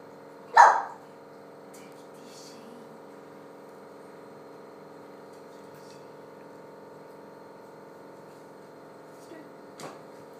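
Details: Cardigan Welsh Corgi puppy, a 13-week-old female, indoors: a single short, sharp yip-like bark near the start, then a faint second sound near the end, over a steady electrical hum throughout.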